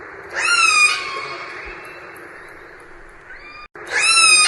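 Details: Orca calls: a sharp, rising squeal that slides into a long, falling tone. A brief higher note follows, then another rising squeal at the end, all over a steady hiss.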